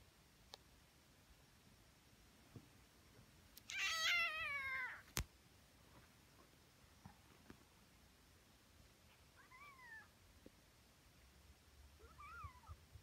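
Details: Tonkinese kittens, twenty days old, waking up in the morning: one loud wavering meow, then soft thin rising-falling mews later, with faint clicks in a quiet room.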